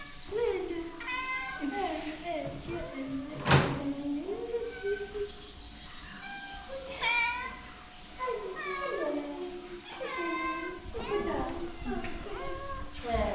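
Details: Domestic cats meowing repeatedly while the vet is coming, a run of loud, drawn-out, wavering meows, several rising then falling, overlapping one another, with a sharp knock and people talking in Arabic in the background.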